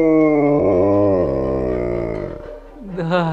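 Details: An Alaskan Malamute "sings" to a familiar piece of music, howling in a long, tuneful wail that slides gently downward, with a woman's voice nearby.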